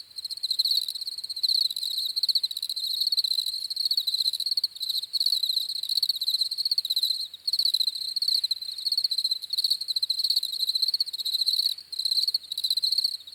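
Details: Dense, high-pitched cricket chirping forms an unbroken trilling drone, split into pulsed bursts with brief quiet breaks every couple of seconds, with no other animals or background noise.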